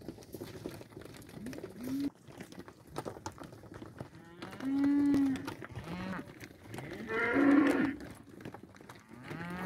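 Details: Pregnant young Angus cows in a sale lot: several long, steady, deep moos, the loudest around five and eight seconds, over constant clattering and rustling farm noise.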